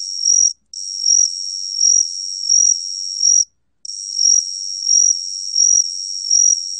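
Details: Korean gaksi cricket (각시귀뚜라미), recorded in 2020 by the National Institute of Biological Resources, trilling steadily at a high pitch with rhythmic pulsing swells roughly every 0.7 seconds and two short pauses. No other sounds.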